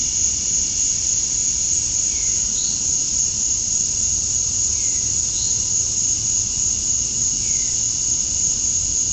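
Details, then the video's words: Male cicadas in a Georgia, USA summer dusk chorus, calling to attract females: a constant high shrill drone, with a few faint short downward-sliding chirps, likely distant birds, every couple of seconds. "Cicadas at Dusk, Summer Night"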